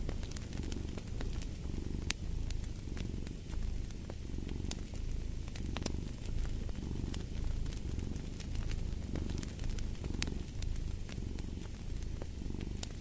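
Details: Low, throaty cat purring pulses in even breath cycles under a fireplace's scattered crackles and sharp pops.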